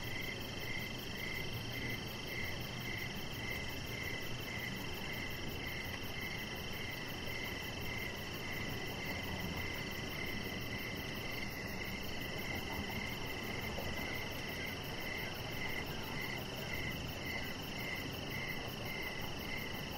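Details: Crickets on an evening deck with a chihuahua puppy nearby. A regular train of brief chirps keeps pace at roughly two per second, backed by constant high-pitched insect drones and a low steady hiss.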